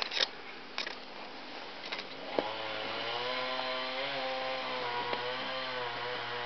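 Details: Garden scene with a few clicks and knocks, then a steady engine-like motor drone with a humming tone, and no animal calls.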